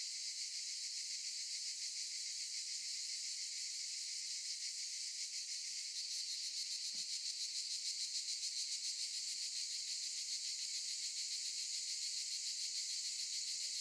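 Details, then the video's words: Cicadas singing in olive trees, heard as a steady, dense, high-pitched buzzing hiss with a fine rapid pulsing throughout, nothing else standing out. "Sound of cicadas"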